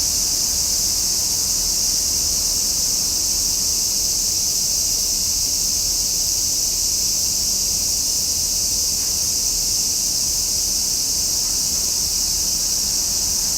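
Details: Cicadas singing in summer make a relentless, level, high-pitched droning hiss that never lets up, with only faint low rumble beneath.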